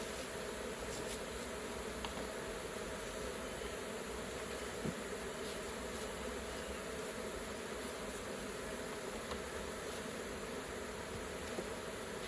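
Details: Continuous hum of a honey bee colony at the hive while honey is being collected, an even, unbroken swarm drone with no pauses and only a faint tap now and then.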